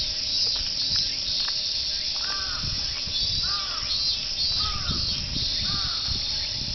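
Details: A choir of cicadas in Fuchinobe Park, their "meen meen" song heard from the jogging path, a continuous shrill high drone; several crow-like arched caws break in over it midway, plus soft low rustling.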